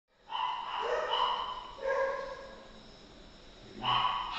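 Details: Golden retriever puppy offered for sale, giving a few short harmonic barks and yips, one burst near the start, another around two seconds and a last at four seconds, in a quiet indoor setting.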